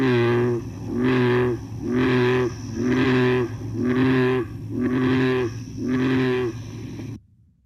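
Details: American bullfrog (Lithobates catesbeianus), North America's largest frog, gives its breeding advertisement call in a wetland: a string of deep, droning, resonant notes, each about half a second long.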